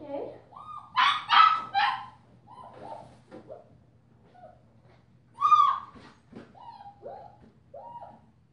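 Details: Five-week-old female German Shepherd puppy wearing a purple collar gives a run of high whines and yelps, some tonal and arching, others short and rough, in bursts with quiet gaps between them.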